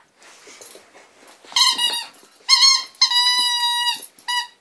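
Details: A female Staffordshire Bull Terrier playing with and destroying a squeaky toy gives high, strained, nasal whines in short steady-pitched bursts rich in overtones, with snuffling and faint toy squeaks between.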